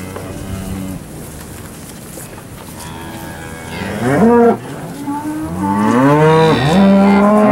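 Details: Cattle lowing at a Moseley livestock sale in Alabama: quiet rumble for several seconds, then a loud drawn-out moo with falling harmonics near the fourth second and a longer wavering moo toward the end.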